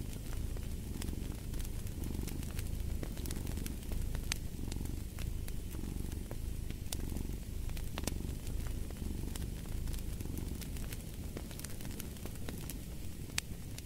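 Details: Cat purring beside a fireplace: a deep, steady rumble swelling and easing in slow cycles of about a second each, with sharp crackling pops from the fire scattered throughout.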